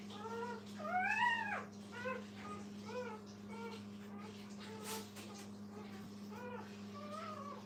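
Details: Several puppies beside their mother whine in thin, rising-and-falling squeals, one longer arched cry early on, then quick short whimpers repeating about every half second against a steady background hum.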